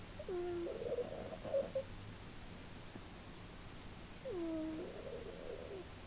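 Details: Female domestic cat asleep and snoring, recorded March 2010: two loud breaths about four seconds apart, each opening with a dipping, nasal whistle and trailing into a raspy, fluttering rumble, with near silence between.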